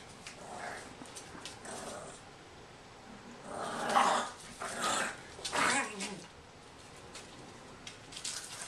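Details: A male English Bulldog puppy, born 27 October 2011, playing with a Yorkie in a living room at a home near Houston, Texas, gives rough, breathy growls and short yaps in a few bursts.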